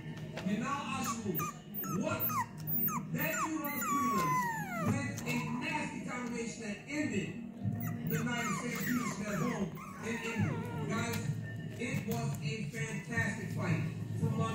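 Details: Micro miniature pinscher puppies whimpering and squeaking indoors, with thin rising and falling whines overlapping in quick succession, mixed with human speech and background music.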